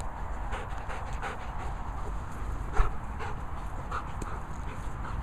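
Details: A Goldendoodle, a Golden Retriever and Poodle cross, pants in quick, soft, breathy puffs repeated several times a second against a steady background hiss.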